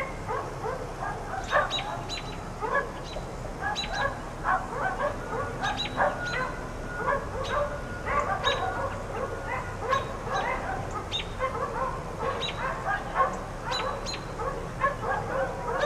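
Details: Four dogs left outside all day by neighbors, barking persistently: bursts of sharp, overlapping barks and yips repeat throughout, sounding somewhat distant over a steady background hiss.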